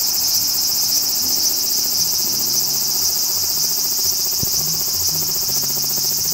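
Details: Large brown cicada's harsh, shimmering high-pitched drone with a slight fast pulsing texture, continuous throughout, a single low click near the middle and faint low humming behind.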